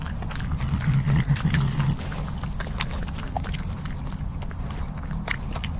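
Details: European badger, thought to be female, recorded 21/04/2015 running off with food left out for foxes, warning others off her food; a low, rumbling under-breath growl, pulsing steadily throughout, with scattered rustling and clicks above.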